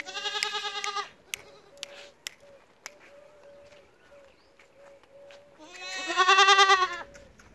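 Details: Goat bleats open and close the stretch, each a loud, vibrating, nasal cry, separated by sharp clicks and a faint intermittent tone.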